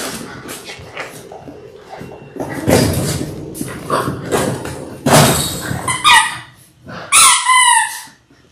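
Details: Labrador Retriever puppies from a litter of six born January 18, 2022, in their sixth week, on an indoor puppy cam: thumping and scuffling, then two sharp, whiny yelps with a rising and falling pitch near the end.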